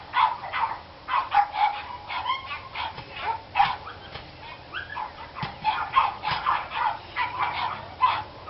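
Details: Dogs bark persistently in a recording dated 29 March 2013, a long run of quick, high, yappy barks, often doubled or tripled, with a few whine-like notes between.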